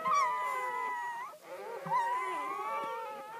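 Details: Crying of a newborn Great Pyrenees puppy during its mother's first whelping on a farm, a litter of ten; two long, steady whining cries, each ending in an upward bend, separated by a short pause.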